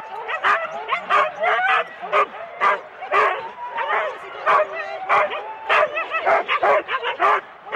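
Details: Huskies in four-dog teams waiting for the start at Rendlesham in January 2016, recorded on analogue cassette; rapid, irregular barks about twice per second, mixed with strained rising yips from many dogs at once.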